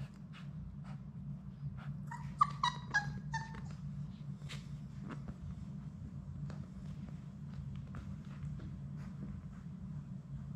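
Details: Sadie's six Labrador Retriever puppies at play inside their play room. A quick burst of four or five high, harmonic yips comes in the middle. Scratching, tapping and a constant low indoor hum fill the rest.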